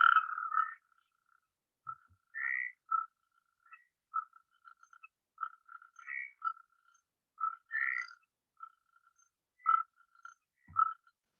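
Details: Natterjack toad singing, a species of pioneer habitats with shallow temporary ponds: short croaking, rattling bursts repeated irregularly every second or so against a silent background.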